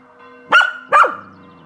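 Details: Two short, loud barks about half a second apart from Kasper, a Spanish Water Dog on a balcony, reacting to Saturday evening church bells at 18:00. Sustained bell tones hum underneath.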